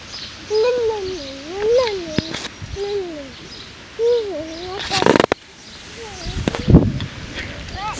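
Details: Lakeland Terrier puppies aged six weeks, born 5/29/18, whimper in a run of wavering, up-and-down tonal whines across the first five seconds. Clattering bursts and handling noise follow.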